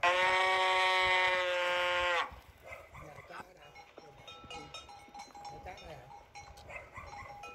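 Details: A single steady cow moo of about two seconds opens the clip, then gives way to quiet, mixed background noise with faint clicks.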